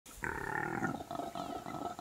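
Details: Wild impala ram during the rutting season in early winter, when males fight for territory and dominance over female herds: a harsh, grunting, pig-like roar lasting nearly two seconds, rough and noisy, outdoors.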